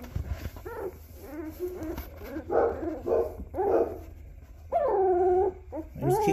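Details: Black Labrador puppies at day 13, eyes starting to open, making wavering whines and squeals, one long drawn-out whine near the end, over a steady low hum indoors.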